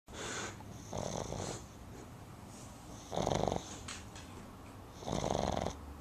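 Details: Boston Terrier puppy named Timber asleep indoors after a day at the river, snoring loudly: raspy rattling breaths roughly every two seconds, each a buzzy burst with quieter gaps between, in a small quiet room.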